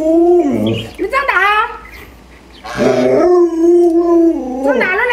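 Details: Pet Alaskan Malamute doted on by its grandmother, giving drawn-out, steady howling tones with bending yelps between them, while a woman talks about food nearby.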